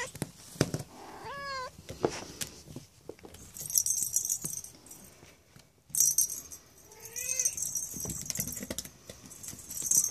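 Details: Cornish Rex kittens (Felis catus) at play give short, thin meows that rise and then drop, amid rattling and jingling.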